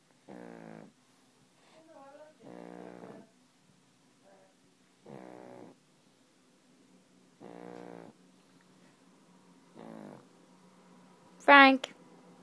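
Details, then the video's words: Pug snoring in its sleep, with five buzzy, rattling snores spaced about two and a half seconds apart, faint wheezy breaths in between and a sharp higher squeak near the end. "Pug snores"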